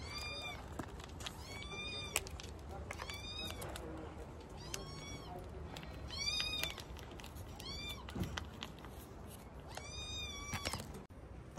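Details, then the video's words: Domestic cat, hungry and waiting to be fed, recorded on an October morning, meowing repeatedly: about eight short rising-falling harmonic meows spaced roughly every second or two, over low background rumble. "კატა კნავის"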